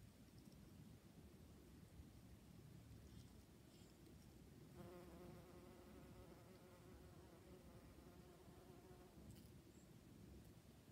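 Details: Honey bee recorded September 8th, 2019: after several seconds of low rumbling background noise, a steady low droning buzz with clear overtones starts midway, holds for about four seconds, then fades back into the noise.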